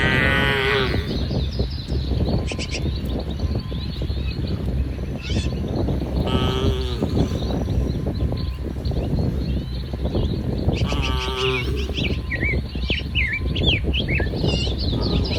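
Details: Dozens of tame cattle with coats from light brown to jet black grazing in a muddy rice field in soft morning sun; three drawn-out, strained moos at start, middle and end, with birds chirping high over a steady low hum.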